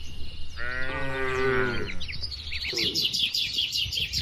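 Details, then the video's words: From a cattle herd out in open pasture, a single drawn-out moo lasts about a second and a half, slightly higher and wavering, then a brief short low, with birds chirping behind. "Kawanan Sapi Lembu di Alam Terbuka 🐄🌿 | Bunyi Moo yang Lucu dan Menghibur"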